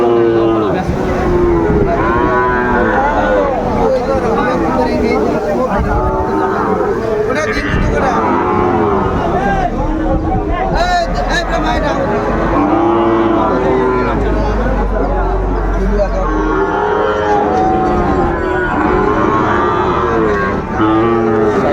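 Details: Sahiwal bull calves at a cattle market in Kushtia, Bangladesh, on 2 August 2024, where a farmer is buying: many overlapping harmonic moos, rising and falling, from several animals amid constant crowd chatter and background noise.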